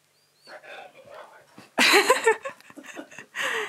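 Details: Siberian Husky Keyush talking back while arguing about wearing a new harness. Quiet human speech gives way to a loud, warbling, howl-like yowl that bends up and down, then a shorter falling whine, with a person speaking between.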